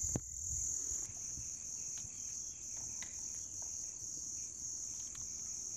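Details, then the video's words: Continuous shrill ringing of grass insects, a steady high tone holding throughout, over a noisy background with scattered soft clicks and taps. "풀벌레 울음소리"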